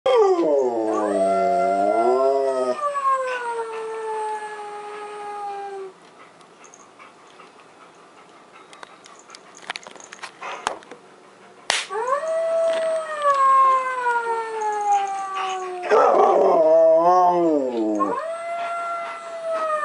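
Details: A Siberian Husky howls in long, wavering tones that rise, dip and slide slowly downward, reacting indoors to a Halloween animatronic wolf decoration's howl; filmed 20 October 2019 at 5:28 PM.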